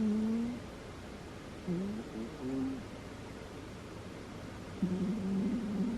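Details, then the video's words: Butters, a she-cat, asleep and snoring: low wavering nasal tones, some short and broken, others longer and steadier, with quiet gaps between breaths in a small quiet room. "Listen to my cat snore"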